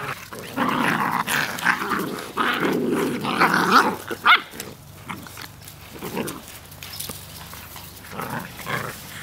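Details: Outdoor play fight between puppies, dated 1/4/2013: sustained loud growling in the first half with a sharp yelp-like bark, then scattered softer grumbles.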